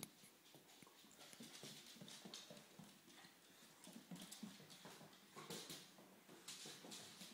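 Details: English Springer Spaniel family at play, dad Gunnar, mum Kala and pup Diesel: dense scuffling and scratching with intermittent low growls and short whining grunts, continuous broadband rustle throughout.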